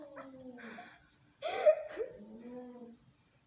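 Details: Fighting, angry domestic cats: a short falling wail, then a loud, abrupt, harsh spit-like outburst, followed by a low drawn-out moan that fades away.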